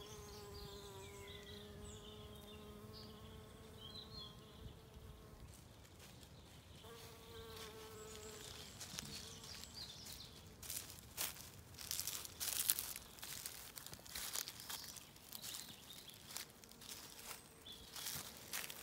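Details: Spring woodland on a regenerative farm in County Kilkenny, Ireland, where bees feed on wood anemones in the sun; two bouts of low humming buzz come and go, followed by rustling, crackling handling sounds and faint birdsong.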